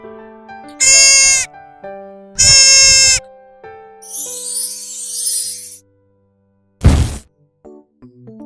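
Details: Deer bleating: two short, high, nasal bleats about a second and a half apart, set against light background music, followed by a brief breathy burst.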